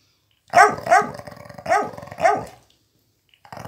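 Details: Young Miniature Pinscher Flash, one year old, tussling to steal a toy from an elderly Pitbull; four rough, throaty growl-barks packed into two seconds, then a pause before more growling begins.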